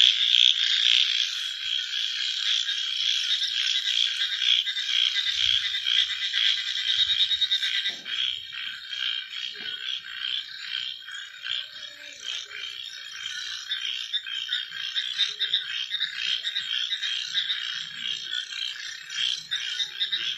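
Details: Night frog chorus: a loud, fast, rattling trill that fades somewhat after the first seconds, then continues as a steady, flickering high pulsing with a few faint low clicks.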